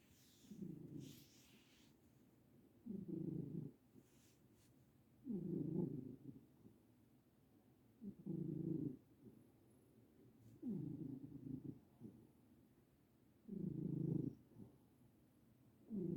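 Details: A senior domestic cat asleep and having happy dreams, giving low rumbling purring snores in regular bursts about every two and a half seconds, each lasting roughly a second, with quiet breathing between.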